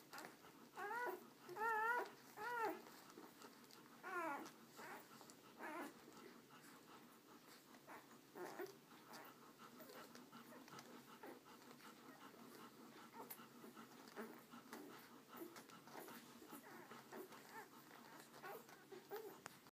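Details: American Akita puppies kept indoors with their mother caring for them; several short, high, wavering whimpers and yelps in the first five seconds, then fainter scattered squeaks over soft background rustling.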